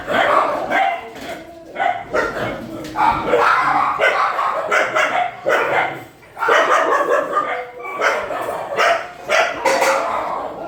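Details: Shelter dogs bark at night feeding time. Loud barks come in quick clusters throughout, some sharp and yelping, mixed with human calls and background clatter.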